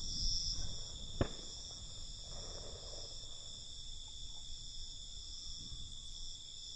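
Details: A nocturnal cricket chorus rings in a sustained high-pitched buzz, unwavering across the recording, interrupted early by one sharp click, with a muffled low background murmur.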